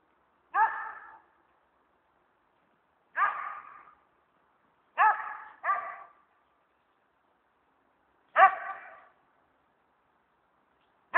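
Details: Dog barking while chasing squirrels from tree to tree: single sharp barks and a quick double bark, spaced irregularly every one to three seconds, with quiet gaps between.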